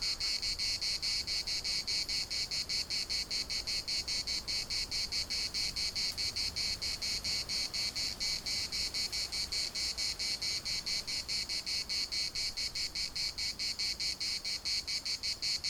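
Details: Chorus of cicadas in a municipal park in Larnaca, a steady shrill buzz pulsing about four times a second without pause, the rhythm slightly uneven, over a low background rumble.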